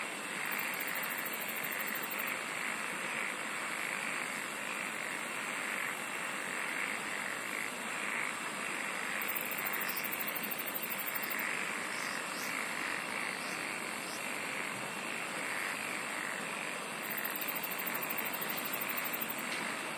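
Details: Unbroken insect chorus with a constant high-pitched hiss, joined every several seconds by bursts of very high rapid trilling, over a soft, regularly pulsing lower buzz and scattered faint chirps.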